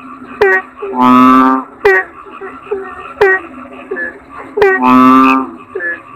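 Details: Two drawn-out, buzzy, nasal croaks from a kodok bangkong toad, about four seconds apart. Between them come quick downward-sliding chirps, sharp clicks and softer bubbling notes.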